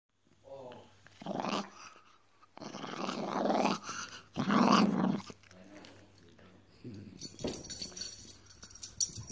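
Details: Miniature Dachshund growling while being naughty indoors in a small room; rough, noisy growl bursts of one to two seconds separated by short pauses, with a human voice faintly present.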